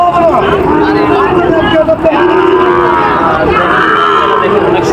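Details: Sahiwal bull at a cattle market in Joypurhat, Bangladesh, recorded 23/6/25: a few short lowing calls rise over a constant din of men talking and bargaining nearby.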